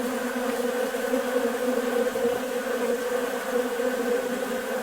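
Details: On a warm, nice day, a dense, steady hum of many honey bees buzzing together without pause as they feed busily on sugar water from a bucket feeder.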